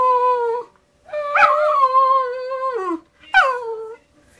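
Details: Pet poodle indoors "talking" with its owner in a small room: drawn-out, tuneful whining howls with rich harmonics, a long wavering note sliding down at the end, then a short rising-falling yelp.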